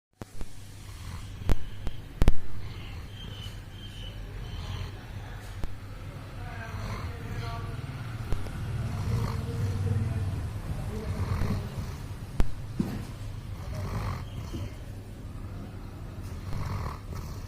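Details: Max, a sleeping Doberman, snores in a low, steady rumble with soft swelling breaths, loudest midway through, with a few sharp clicks and knocks early on and a faint background hum.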